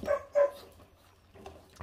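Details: A litter of five feral puppies, 28 days old, eating raw meat and already guarding it: two quick, clipped yips in close succession, then quiet with faint low background hum.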